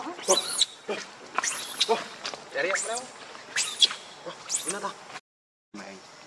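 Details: Monkey named Rainbow, very angry while protecting Lucie from Kachoy, gives loud shrill screams that arch steeply up and down, about five harsh bursts over five seconds, then a short silence and a faint closing sound.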